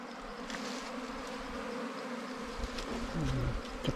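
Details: Bees at a wild comb during a honey hunt, with larvae being removed and sugar water added; a continuous droning hum holds steady, and a man's voice cuts in near the end.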